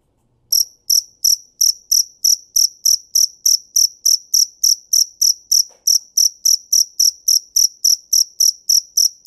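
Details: After a brief silent start, a cricket chirps in an unbroken, even train of sharp, very high pulses, roughly three per second, sustained to the end with no other sounds.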